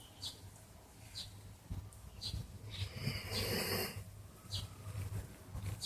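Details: Old male mixed-breed dog snoring while sound asleep, hard to wake even when approached; low rumbling snores in a steady breathing rhythm, with soft breathy hisses and a longer noisy exhale near the middle.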